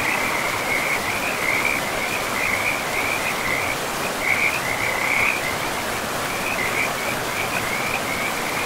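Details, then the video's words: Frogs calling beside a forest river: a steady chorus of fast, rattling trills at one mid-high pitch, rising and falling in loudness throughout, layered over continuous broadband river rush. "River and Frogs sleep sounds"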